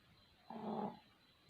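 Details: A single raspy snore from sleeping puppies, about half a second long and low and breathy, over faint steady background hiss.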